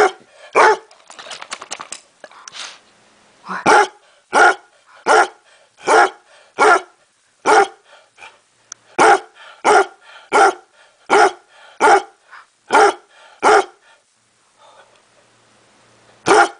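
A basset hound barks over and over in a deep, hoarse, almost seal-like voice, each bark short and evenly spaced. A brief patter of quicker, thinner sounds comes before the main run of barking.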